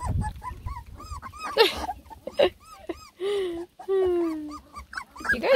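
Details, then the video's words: Beagle puppies from a ten-pup lemon and tricolor litter whine at their first food, scattered short arched whimpers broken by a few longer, steady lower tones and a burst of noise. "A lot of COMPLAINING!! Ten BEAGLE PUPPIES give food a try for the first time!"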